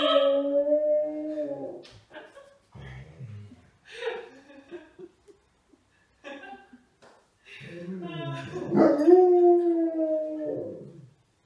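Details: Old English Sheepdog howling along with opera warm-ups: long, sustained, slightly wavering howls open and close the passage, separated by a quieter stretch of short broken vocal sounds.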